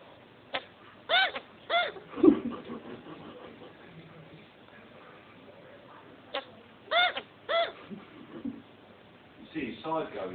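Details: Male pet chinchilla hiccuping right after mating, with babies due 5 January: quick arched chirps in clusters of two or three, the bursts several seconds apart, under people talking quietly nearby.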